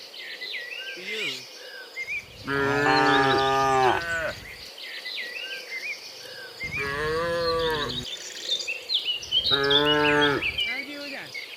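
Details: Herd of tame cattle driven to their pen, giving three loud drawn-out moos spaced a few seconds apart, some slightly wavering, over steady chirping and whistling of birds.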